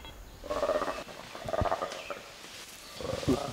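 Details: Black-and-white colobus alarm call played back to chimpanzees in a Ugandan forest: three short, harsh rasping bursts, the shorter call given against attacking chimpanzees, which set the chimpanzees off to hunt.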